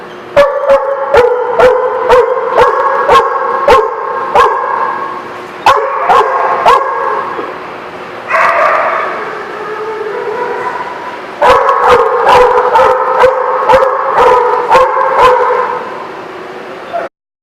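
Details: Dog recorded on January 16, 2017, giving bursts of high, tonal yips and drawn-out whimpering whines, with a short quieter break midway, while sharp clicking ticks repeat roughly every half second through most of the recording.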